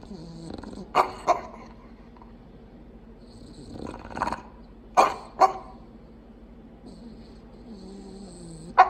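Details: Bulldog, likely Mildred, the mate of Clyde the Bulldog, giving sharp, short snorting bursts, two close together near the start and several more spaced a few seconds apart, with quiet breathing between them.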